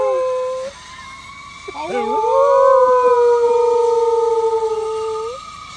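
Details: Dog howling along with a passing fire truck siren, starting with a short tone, then rising wobbly yelps that settle into a long, steady, drawn-out howl lasting about three seconds before fading.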